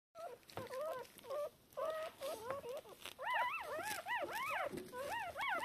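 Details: Newborn Shiba Inu puppies, three hours after birth, deaf and blind, calling for their mother. Arched, whistly squeals come in short bursts, growing louder and more rapid after a brief pause midway.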